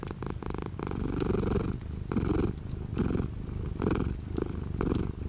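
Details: Domestic cat purring indoors with light rain outside the window; a steady low rumbling purr swelling in breath cycles about once a second, with scattered dripping rain ticks over it.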